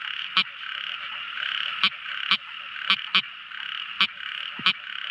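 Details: A tiny frog calling at night: sharp, loud clicking notes at irregular intervals, seven in about five seconds, over a steady, dense, buzzing chorus of high-pitched calling.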